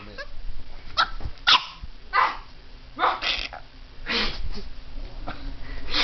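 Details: Puppy barking at a fake alligator head that holds its teddy bear; scattered sharp barks with some low rumble and background noise.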